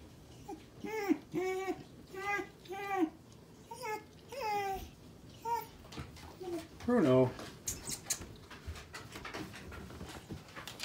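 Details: Bruno the Basset Hound, indoors on his unsuccessful first attempt at going down the stairs, gives a run of short arched whines, rising then falling, several in quick succession over the first five seconds, while a person encourages him.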